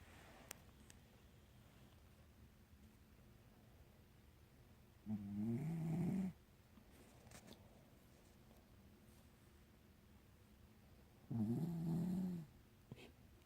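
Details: Sleeping pet dog snoring indoors; two buzzy, droning snores, each about a second long and roughly six seconds apart, with quiet room noise in between.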